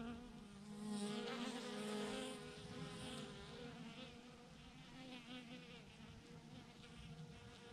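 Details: A huge cluster of thousands of bees clinging to a branch gives off a dense, steady buzzing hum, loudest in the first seconds and then settling into an even, slightly fluttering drone.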